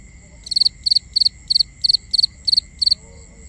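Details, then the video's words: Nighttime crickets in a binaural recording: bright, high chirps, each made of three or four rapid pulses and repeated about three times a second, above a constant faint ringing drone. "Cricket Conversations"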